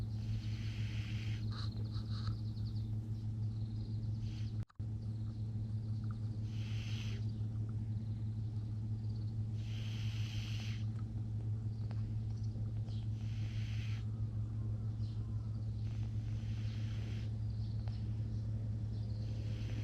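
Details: Cat. Soft, airy snores from a sleeping cat come and go roughly every three seconds, each a brief hissing rasp. A constant low electrical-sounding hum runs underneath throughout.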